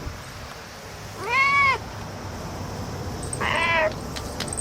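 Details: Cat meowing in excitement at a cicada it has found: a short arched meow, then a second flatter, rougher meow a couple of seconds later, with background hum and a few sharp clicks.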